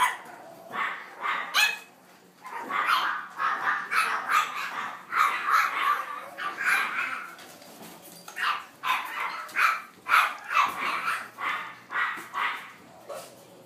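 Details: Young French Bulldog siblings barking in quick, persistent bursts, sharp mid-pitched barks repeated roughly every half second with brief pauses, overlapping yips and a steady low hum indoors.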